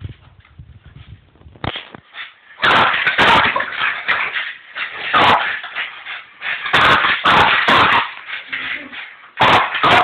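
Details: French Bulldog playing with a balloon indoors; dense bursts of broadband rough noise, snorts and scuffling in quick irregular clusters, louder from the third second onward, with quieter gaps between.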